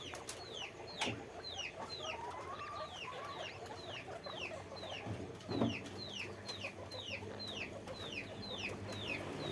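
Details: Guinea pigs kept in a farm cage repeat clear, high squeaks that fall sharply in pitch. They come steadily, roughly two per second, with a few thumps and soft rustling.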